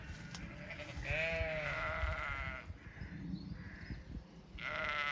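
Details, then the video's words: Zwartbles sheep on a regenerative farm in County Kilkenny, Ireland: a long wavering bleat, then a second bleat starting near the end, over steady outdoor background noise. "Some sights & sounds of farm life. Dogs, cats, sheep & alpaca"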